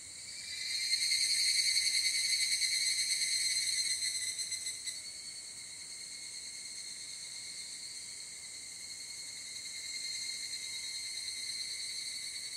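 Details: Higurashi, the evening cicada of Japan, captured with a ZOOM F8n Pro field recorder. A loud, high, metallic trilling chorus rises in the first seconds, then drops to a softer continuous shimmer before building again.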